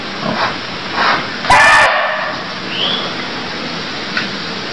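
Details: Barking deer in Cambodia: one short, loud, harsh call about a third of a second long, cutting sharply through a steady hiss of background noise, with fainter chirps and rustles around it.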